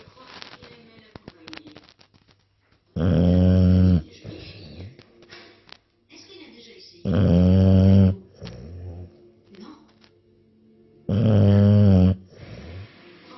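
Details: Sleeping English Bulldog giving three loud, gravelly snores, each about a second long and spaced roughly four seconds apart, with light wheezy breaths and faint background noise in the gaps.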